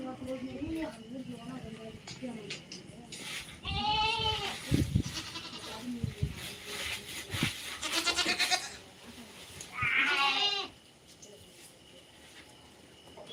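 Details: Native country goats in a Tamil-speaking farm setting, two loud wavering harmonic bleats a few seconds apart, one near the middle and one later, with men talking in Tamil throughout and clicks and handling noises.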